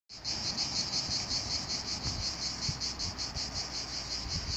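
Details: Cicadas by a lavender field in the Vaucluse sing a loud, continuous buzzing trill, high-pitched and gently pulsing throughout.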